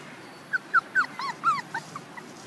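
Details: Young puppies about one month old giving short, high whimpers and yips, around nine brief squeaky whines in quick, uneven succession, some rising then falling in pitch.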